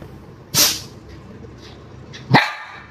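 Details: Dog in India giving two sharp, loud single barks nearly two seconds apart, each a short broad burst, after a person asks in Chinese what it wants to eat.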